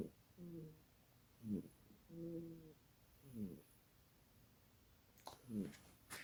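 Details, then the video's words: A sleeping little kitty snoring loudly indoors: rhythmic breaths roughly every two seconds, alternating buzzy tonal inhales with breathy raspy exhales, a sharp click near the end. "You Snore Loud For A Little Kitty!"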